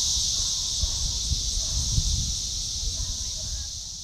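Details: Magicicada cassini periodical cicada of Brood IV in Shawnee Mission Park, Kansas, June 5, 2015, its tymbal vibrating beneath an upswept defective wing. A steady, shrill, high buzz holds throughout over faint low rumbling background noise.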